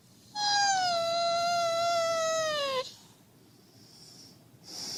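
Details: A husky acting as an alarm clock to rouse its owner gives a long, steady, high whine lasting over two seconds, sliding slightly downward at the close, followed by quiet and a faint hiss.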